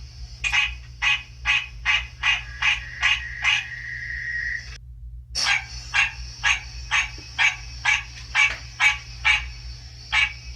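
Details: Recently matured captive male American green tree frog calling back to a played recording of its own species indoors near spring: evenly spaced nasal honks about twice a second, a brief silent break, then steady honking resumes over a thin high whine.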